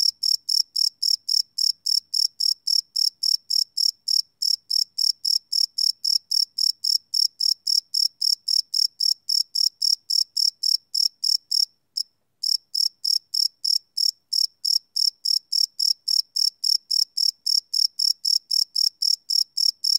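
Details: Cricket chirps through a night recording made live on a Sony PCM D100: a long, unbroken sequence of rapid, piercing pulses about four a second, halting only once, briefly, around twelve seconds.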